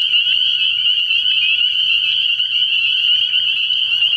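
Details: Many spring peepers at a frog pond on an early spring night, their high, sharp peeps overlapping into a constant shrill, pulsing ring with no pause.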